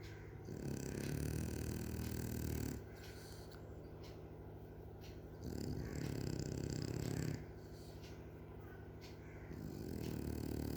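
Heavy, low, rattling snores come from a French bulldog, with long loud breaths of about two seconds. Quieter, softer wheezing breaths fill the gaps between them.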